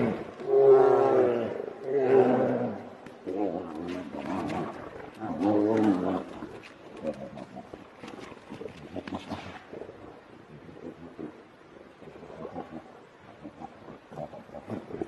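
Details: Grizzly bears, two of them, fighting; loud rasping growls and roars fill the first six seconds in several surging bursts, then fade into quieter scattered grunts, huffs and rustling.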